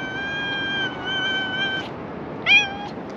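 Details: A beautiful cat out for a walk on a sandy beach, flopping over to sand-bathe, gives a long, level, drawn-out meow, then a short sharp rising meow, over a steady background hiss.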